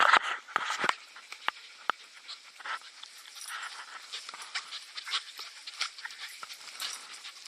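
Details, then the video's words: Puppies playing rough together, with scattered short yelps, growls and panting bursts, one loud cluster near the start and quieter scuffling noises throughout. "Puppy Play"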